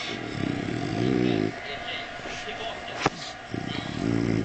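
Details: French Bulldog. A sleeping French Bulldog gives long, low, rattling snores, each breath a rough buzzing drone lasting over a second. A brief sharp click sounds between the snores.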